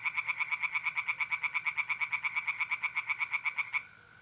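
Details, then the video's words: Night chorus of tree frogs in an April pond in north-east Italy: a loud, very regular train of clicking croaks, about seven per second, ending abruptly into the soft steady trill of mole crickets. "relaxing singing tree frogs in pond and trilling mole crickets by night"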